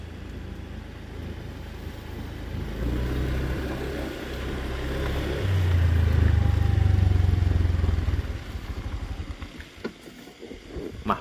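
A motorcycle engine rumbles and revs throughout, with clattering and no animal voice.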